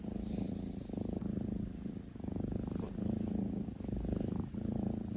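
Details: NaNa the Maine Coon snores in her sleep, a soft, pulsing drone repeated in bouts of about a second, separated by short quiet breaths.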